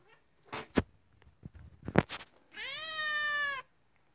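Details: House cat frustrated by a spider on the ceiling it cannot reach gives one long, steady, harmonic meow lasting about a second, preceded by several sharp knocks and thumps.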